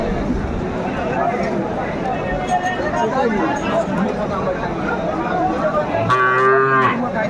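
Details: Sahiwal bull calves for sale at Aftabganj cattle market, Dinajpur, Bangladesh: steady crowd murmur and traders' voices, then near the end a short, resonant low moo of about a second.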